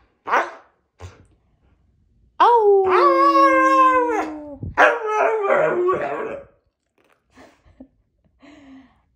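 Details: Siberian husky "talking": a few short yips, then a long wavering howl with steady tonal bands lasting about two seconds, breaking into rougher grumbling vocal sounds, followed by scattered soft whines.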